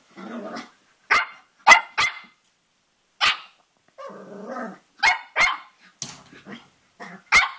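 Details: A Cavalier King Charles Spaniel puppy about three and a half months old, playing with his reflection in a mirror, gives low rumbling growls broken by sharp, high yapping barks.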